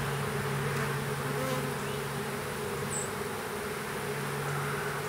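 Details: Honey bees of a small swarm hived into a privet hedge thicket, south Alabama, April 12, 2014: a continuous, even, low-pitched drone fills the recording, with one brief high bird note midway.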